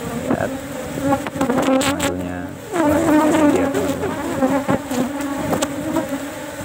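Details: Asian honey bees disturbed while a beekeeper removes a single honey frame from a culture box outside flower season; loud droning buzz that swells sharply near the middle and stays strong, with intermittent clicks and knocks.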